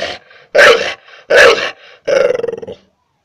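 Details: {'caption': 'Pit bull dog barking at a person: three loud, harsh barks about 0.7 seconds apart, the last one with a rough, pulsing growl-like texture, with short pauses of quiet between them.'}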